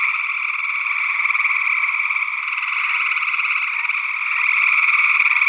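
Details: Gray tree frogs in Northwest Wisconsin, early June 2022, picked up by ORTF-arranged small condenser microphones. A thick chorus of rapid trills runs continuously and grows louder near the end. A second frog species, possibly spring peeper, is also present.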